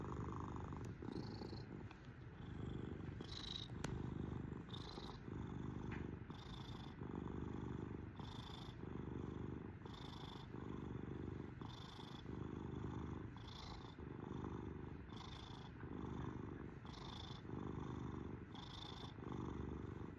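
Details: Pet cat purring for twenty seconds, deep throbbing rumble in regular waves roughly every one and a half seconds, each breath carrying a faint airy whistle.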